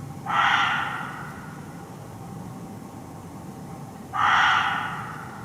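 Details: A barking deer, the muntjac, concealed in forest undergrowth in Hertfordshire: two abrupt, rasping barks roughly four seconds apart, each about half a second long, with faint low background rumble between them.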